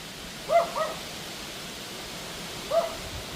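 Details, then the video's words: Pomeranian barking at a wind storm one August evening; a quick double yap, a pause, then a single fainter yap, all under a continuous windy hiss. "Dog Barking at Wind Storm howling Pomeranian annoying neighbour bark nuisance"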